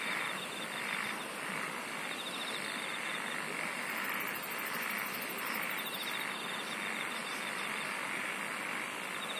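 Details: Insect chorus with a shrill throbbing hum pulsing about twice a second, an intermittent fine buzzing trill above it, and a brief very high ticking burst in the middle, over constant broadband hiss.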